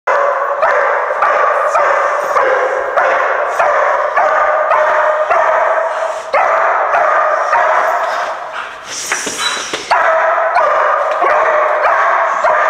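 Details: German Shepherd pup barking inside an abandoned movie theatre during confidence-building training, loud harsh barks repeated roughly every half second in a steady run, with one brief bright noisy burst midway.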